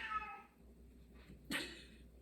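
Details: Male Siamese cat screaming in the background, described as typical Siamese behaviour: a wavering, harmonic-rich cry at the start, then a short, louder burst, with a woman talking nearby.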